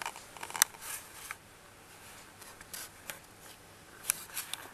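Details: Quiet indoor scraping and rustling with a few sharp clicks, and no animal voice.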